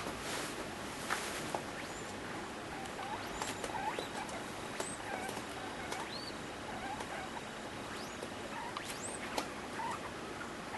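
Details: A pet degu in heat, courting a sock, making many short, high, upward-sweeping chirps scattered irregularly over a steady rustling hiss.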